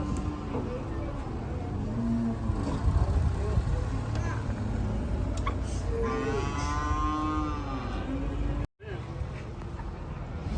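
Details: Raging cattle lowing amid crowd noise, with a long, drawn-out harmonic moo that wavers in pitch near the end, over a steady background din of voices and engine rumble.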